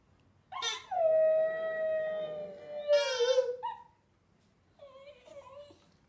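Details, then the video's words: Hamish, a Border Terrier, singing: one long, steady mid-pitched howl held for about three seconds, then wavering and breaking off, followed by a softer, shorter wobbling howl. "Hamish Singing"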